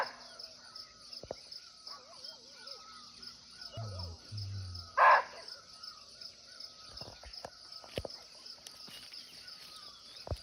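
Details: An unseen barking deer (muntjac), calling from nearby in a natural forest in Nepal, gives one short, sharp bark over a steady high insect drone.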